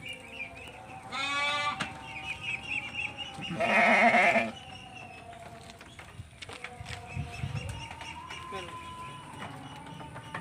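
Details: Texel Merino ram, eleven months old and kept in a pen; a short bleat, then a louder harsh bleat about two seconds later, followed by quieter shuffling, low sounds and a faint drawn-out tone.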